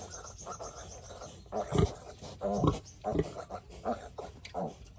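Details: A piglet that has been sick since it was small gives short, harsh squealing grunts in several brief bursts about half a second to a second apart, with faint voices in the background.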